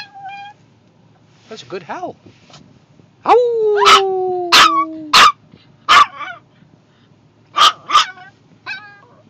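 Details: A Maltese puppy with separation anxiety, crying after her owner left the car, is coaxed into howling with another dog: thin, wavering, slightly falling howls broken by short yips, with a person encouraging between howls.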